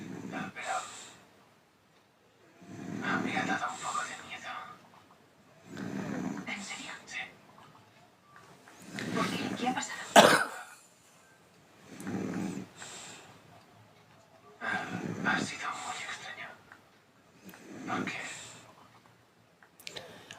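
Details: Sleeping French Bulldog, exhausted after a walk in the woods, snores indoors. Raspy, breathy bursts come roughly every three seconds in a steady rhythm. Quiet pauses fall between them, and a sharp click sounds near the middle.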